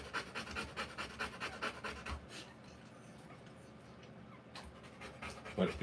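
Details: Rottweiler female in labour, puppies arriving quickly; fast breathy panting for about two seconds, then a quiet pause before a brief man's voice.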